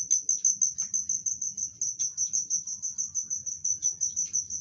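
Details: Loud, clear cricket song of fast repeated high-pitched pulses, about three per second, steady and unbroken, with faint low background murmur and a few soft clicks.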